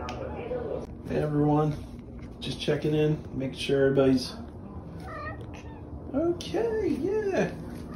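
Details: The OK Cat, a female house cat famous since May 2021 for a meow that sounds like "okay", gives two arched, rising-then-falling meows near the end, after a stretch of steady human talking indoors.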